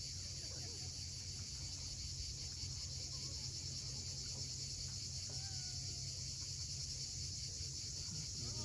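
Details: Cicadas on the steep coast of Cape Fiolent, Crimea, at sunset: a constant high buzzing drone without breaks, a faint thin whistled note near the middle, and low rumbling beneath.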